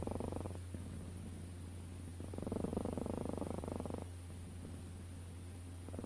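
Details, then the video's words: Domestic cat purring at close range: a low, throaty rumble that swells louder for a few seconds, then eases back with each breath, over a steady low hum. "Sounds of Cat's Purring"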